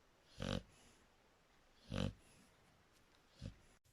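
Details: Sleeping Shar Pei giving two rasping, low-heavy snores about one and a half seconds apart, then a shorter, softer third breath near the end.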